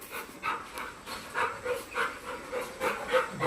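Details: Golden, a playful family Labrador living with a cat at a village home in Kalsuli, pants rhythmically, quick breathy huffs repeating about three times per second, steady and loud, with no other clear sounds.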